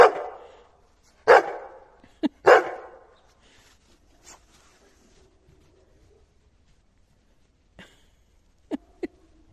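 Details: Terry, a pet Labrador Retriever, barks angrily at being tricked by a faked throw during play: three loud harsh barks in the first three seconds, a short yelp between, then quiet with a few faint sharp yips near the end.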